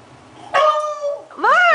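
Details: Milo, a beagle, barking at leftover pizza: a drawn-out, tonal baying bark lasting under a second that slowly falls in pitch, followed after a short pause by a shorter, rising-then-falling yelp.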